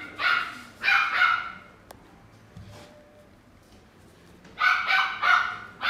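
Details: Male salt-and-pepper Miniature Schnauzer born February 2018, at a pet shop in Japan, barking in two bursts of sharp, harmonic-rich barks, three or four in quick succession, separated by a quiet gap of about three seconds.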